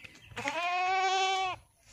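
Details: Beetal or Barbary goat on a farm in Dergaon, Golaghat, Assam, giving one sustained, steady, nasal bleat of about one second with rich even harmonics, in an otherwise quiet setting.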